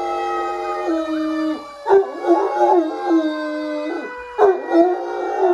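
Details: A six-year-old greying male Great Dane, just woken, howls along with a passing fire engine in long, wavering tones that rise and fall, breaking into brief yips.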